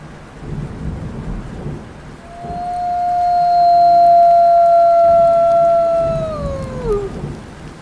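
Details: Black wolf, found throughout North America: one long, level howl swells in, holds steady for several seconds, then slides downward and fades, over a constant rumble like rain and thunder.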